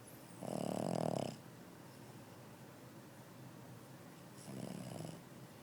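A Boston Terrier snores, each breath a rough, buzzing rattle.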